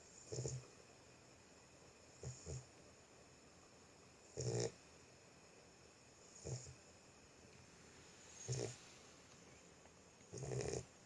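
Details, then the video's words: Boxer puppy sleeping, snoring with deep, rasping breaths that come as six separate snores about every two seconds, each a short rough burst with a faint hiss on top, over quiet room background. "Boxer puppy sleeping. Щенок храпит."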